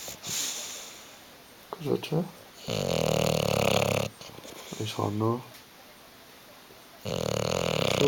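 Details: Hugo the bulldog, asleep on the sofa, produces buzzy fluttering snores of about one and a half seconds. A voice indoors keeps urging him in Italian to wake up between breaths.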